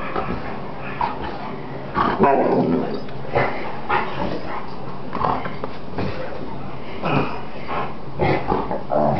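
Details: Greater Swiss Mountain Dog attacking, giving short rough barks and yips at irregular intervals across the recording, in a small room with some background noise.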